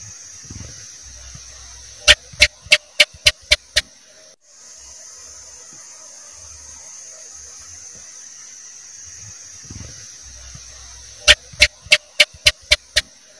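A house gecko gives two series of sharp, rapid chak-chak clicks over a steady high hiss.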